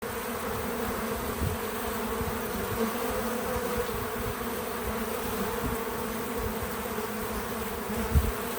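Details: Bees visiting a feeder outdoors on a small farm; a steady, low droning buzz runs through the whole stretch with a few soft, brief louder swells and a faint thud near the end, with no music or talking.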